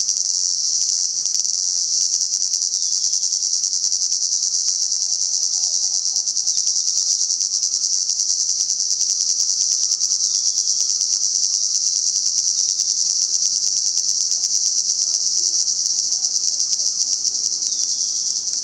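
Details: Salta cicadas in full chorus: a continuous piercing high buzz with fine rapid ticking, while soft chirping notes drift faintly beneath it in the middle section.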